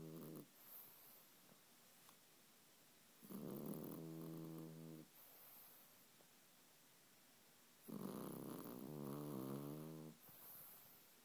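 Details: A French Bulldog snores in its sleep, drawing long buzzing, layered inhalations about every four to five seconds, each ending with a breathy hiss, in a quiet room.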